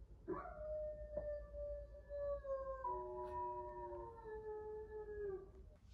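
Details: Maltese pet dog howling in reply to its owner indoors: a drawn-out wavering wail with layered tones sliding slowly downward over about five seconds, soft background music underneath.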